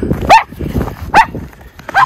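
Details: Barking Miniature Schnauzer, one of the brothers Lucky and Levi, playing in deep snowpack in a home yard in Aroostook County, Maine, February 11, 2023, as spring melt begins. Three short, loud, sharp barks come in quick succession, with soft snow-shuffling underneath.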